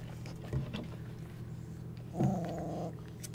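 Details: A twenty-five-day-old Golden Retriever puppy among its littermates in the whelping box during the evening gives a short wavering whine after a soft thump, set against a constant low electrical hum.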